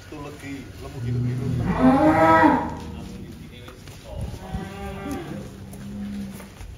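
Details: A giant cow at a Wonosobo cattle holding, where some animals reach 1.3 tons, lets out one strong, drawn-out moo that swells and fades over about a second, then softer lowing, with background chatter and music.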